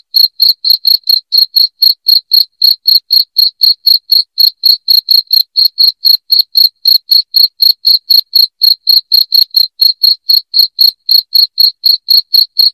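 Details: Piercing cricket chirps for scaring rats out of a house: around fifty short, bright pulses delivered steadily at about four per second without a break, nothing else audible.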